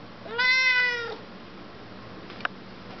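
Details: A talkative Siamese cat answers a question with one long, drawn-out meow that holds steady, then slides down at the end.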